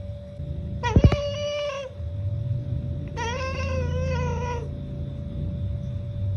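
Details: Domestic cat giving two drawn-out wavering trilled calls, each over a second long with rich harmonics, against a low background rumble and a steady tone.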